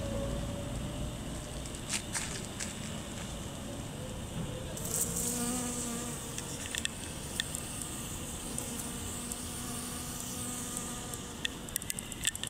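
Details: A honey bee visiting a rose of Sharon (mugunghwa) flower in bloom, its back heavily dusted with pollen, gives a low, steady wing buzz that rises and fades as it flies close.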